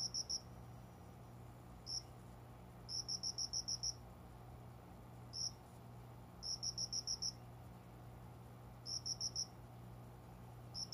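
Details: Summer dawn, a cricket concealed among small indoor plants by the window keeps singing: high, tinkling pulses in irregular mixes of lone chirps and bursts of five to seven, over a low steady household hum.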